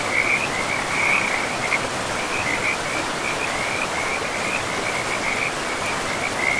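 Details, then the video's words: Frogs calling beside a forest river: a continuous series of short, high-pitched trilled croaks, pulsing several times per second and rising and falling slightly, set over the broad, even rush of flowing water. "River and Frogs sleep sounds"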